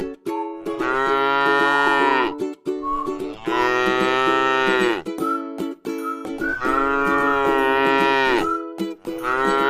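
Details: Resting tame cow in a pretty rice field repeats drawn-out, harmonic moos, four in a row with brief silences between, accompanied by soft plucked music.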